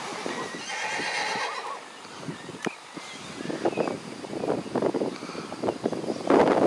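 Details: Arabian stallion watching over his mares: a shrill wavering whinny lasting about a second and a half, followed by scattered hoof clops, thuds and shuffling movement nearby.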